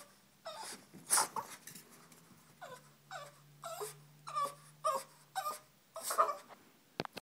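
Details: A female Boston Terrier whines in a run of high, wavering cries, eager to go on her daily run to the park to chase the ball.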